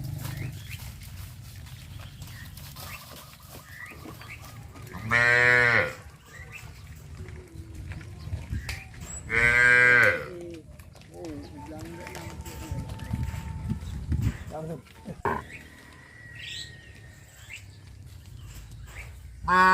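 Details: Tame cattle on their morning walk to green pasture in the countryside let out two loud, harmonic moos about four seconds apart. A thin sustained whistle-like tone and faint background noise follow, and a final call begins at the end.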